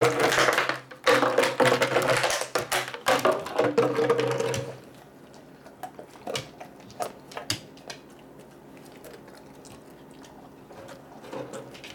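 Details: Knocking, clattering and plastic rattling indoors for about five seconds, then a quiet room broken by scattered soft taps.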